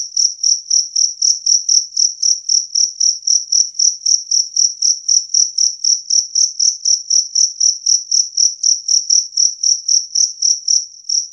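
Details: Two-spotted cricket chirping clearly and loudly, a long run of shrill, regular pulses at roughly four per second against silence.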